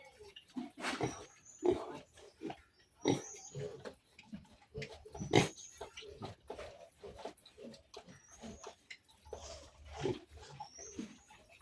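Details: A sow and her piglets one month after weaning. Soft, low grunts come at a fairly quiet level, mixed with scattered sharp clicks and knocks, plus occasional brief whistled tones over a constant high hum.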